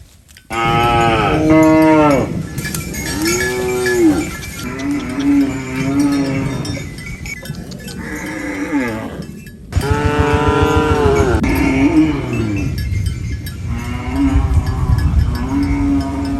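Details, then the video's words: Cattle mooing while eating banana leaves on a rural farm: a series of loud, long harmonic moos, some bending up then down, several overlapping, with cowbells clinking throughout. "Funny cow eating banana leaves Mooing Sounds"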